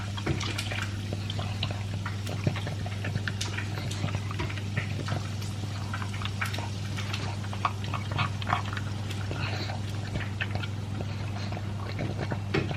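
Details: Elvis, a two-year-old pug, eating dry food mixed with a chunk of beef indoors: dense, rapid crunching and wet chewing clicks, steady throughout, over a constant low hum.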